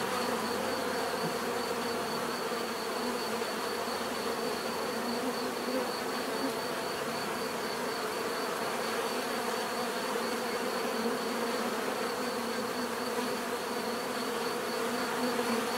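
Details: Steady natural buzzing of many bees, an unbroken humming drone with layered low tones and a thin high line running throughout, no other clear sounds.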